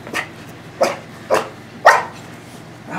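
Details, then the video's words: Two-year-old female Miniature Pinscher, a pet dog, barking excitedly indoors as she gets ready to be let out back: four sharp, short barks spaced about half a second apart, with quiet room noise between. "Miniature Pinscher Dog Barks Like Crazy"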